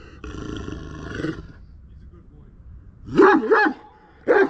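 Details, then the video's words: {'caption': 'Aggressive Kangal dog: a drawn-out low growling, rumbling vocal sound opens, then after a quiet gap come a heavy double bark and one more sharp bark.'} "aggressive kangal dog"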